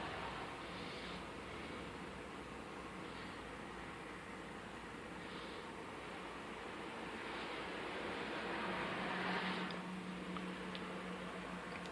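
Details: A steady mechanical hum like a fan or air conditioner runs through a quiet indoor room, with a faint low tone near the end and no animal voices.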